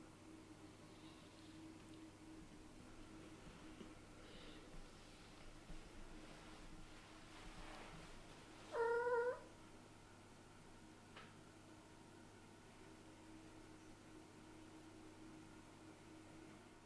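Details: Kittens of a Scottish Fold mother and British Shorthair father, snuggling together on a fluffy bed indoors to sleep; one short, clear meow midway, with soft rustling before it and a steady low hum throughout.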